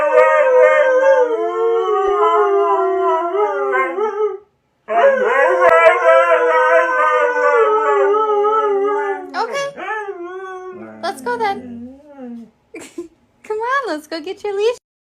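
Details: Husky, with talk of heading to the park and a leash, gives a long, loud, wavering howl-like vocalization with rich harmonics, pauses, then resumes in sweeping, yodel-like bursts that break into shorter choppy yelps toward the end.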